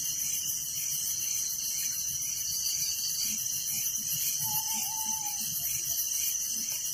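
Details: A constant shrill wall of cricket chirping fills a village night, rapid pulsing trills over a high hiss, with one brief level whistled tone in the middle.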